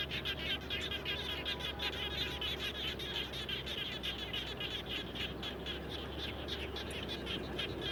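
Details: Many frogs calling near a house after rainfall: busy, rattling high chirps repeated quickly and unevenly, overlapping voices, with a steady low electrical-sounding hum and background hiss.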